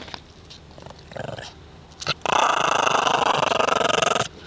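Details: Two male Shih Tzus born in the Canadian mountains, adapted to the north, fight over a stick on an ice road with tails wagging; a long rough snarling growl after a few shorter grumbles and scuffling sounds.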